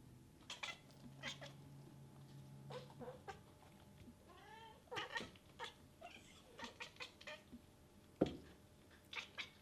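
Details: Infinity, a very vocal female cat, making cute noises because she wants to play: soft, short chirps and clicks scattered throughout, with one brief rising-falling meow midway, over a quiet indoor hum.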